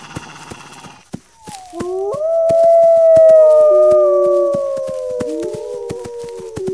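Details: Wolves howling, a call that alerts pack members to gather defenses: after faint noise, several overlapping long tones enter, one rising then holding steady and others slowly falling, with regular clicks throughout.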